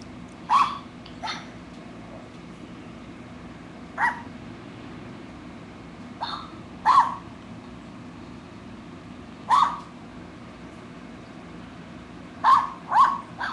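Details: An 8-year-old female poodle, said to love chewing imaginary gum, gives short sharp barks in a quiet room, single or in quick pairs, spaced irregularly every one to three seconds across the recording.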